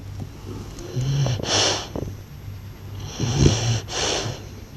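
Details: Snoring blue French Bulldog giving breathy, hissing breaths with short snorting rattles, two main breath cycles a couple of seconds apart, over a steady low background hum.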